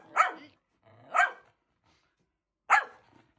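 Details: Three loud, sharp barks from Nico, a Sheltie puppy set off whenever his owner sneezes. Two barks come about a second apart, then a pause before a third, with near silence around them.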